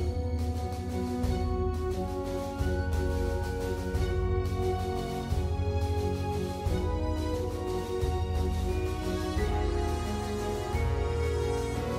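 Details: Continuous background theme music with a pulsing bass beat and sustained melodic tones fills the whole stretch.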